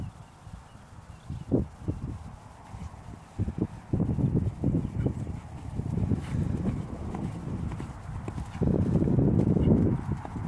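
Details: Dutch Warmblood horse stepping steadily, dense deep hoof thumps about four per second, growing louder and heavier toward the end, over a soft background rumble.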